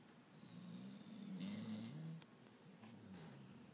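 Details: A sleeping German Shorthaired Pointer snoring: one long, drawn-out snore with a low humming tone that rises and falls, followed by softer, raspy breaths and a steady faint hiss indoors.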